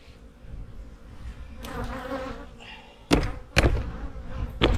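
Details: Honey bee hives in autumn, being prepared for winter, give off a low, steady buzzing hum that swells in the middle, then is broken by several sharp knocks and clicks from hive handling.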